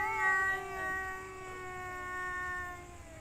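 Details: Domestic cat in mating season, one of several males competing over a female: a long drawn-out harmonic yowl, steady and slightly falling, sustained for about three seconds over faint background hiss.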